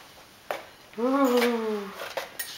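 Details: Frida, a female Tibetan Terrier, sings to ask for food indoors: one drawn-out, tonal, slightly falling whine lasting about a second, framed by clinking dishes and a woman speaking Danish.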